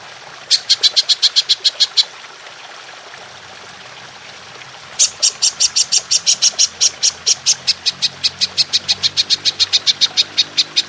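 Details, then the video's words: Golden grasshopper's long shooting call, kept to train songbirds: a short burst of crisp, high ticks, a three-second gap, then a long steady run of evenly spaced sharp pulses, several each second. "Belalang Emas Nembak Panjang"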